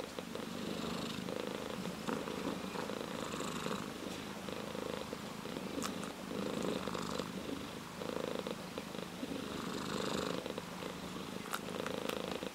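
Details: An orange tabby cat purrs steadily, a low rumbling buzz rising and falling with each breath.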